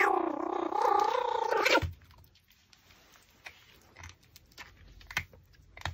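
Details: Pomeranian eating raw pork backbone gives a loud, wavering, whiny whimper lasting under two seconds, followed by quiet chewing and scattered crunching clicks in a small indoor room.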